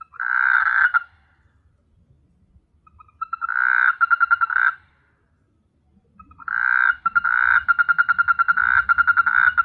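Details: Frogs recorded at night on S.Hulhumeedhoo in the Maldives give grating, rattling croaks in three bouts, the later ones longer with fast pulsed clicks, over a soft low background murmur.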